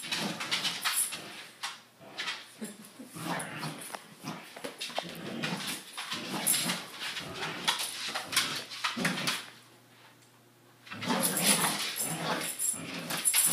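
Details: A corgi, facing bed sheets as his "enemy", gives rapid, gruff barks and growly yips in quick irregular bursts.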